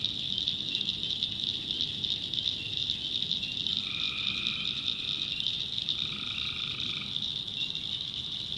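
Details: Backwoods North Carolina swamp at night with tree frogs: a constant high ringing chorus, then two lower droning calls near the middle and end, each lasting about a second.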